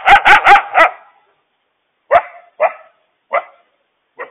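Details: A mother coyote gives four quick hoarse barks, then four spaced, sharper yips, frantically warning her family of a huge stray dog on the loose.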